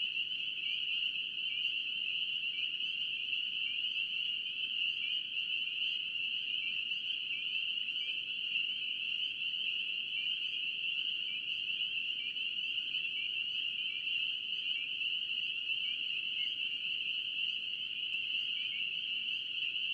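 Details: Spring peepers in North Carolina calling as a dense chorus: countless high, shrill upslurred peeps overlapping into a steady ringing band, with faint upward-sliding notes standing out now and then; no other clear sounds.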